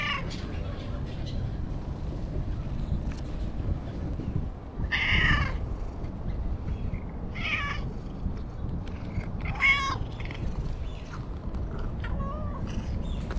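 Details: Talkative stray cat that meows when petted: three short meows in the middle of the recording, spaced a couple of seconds apart, over a heavy low outdoor rumble.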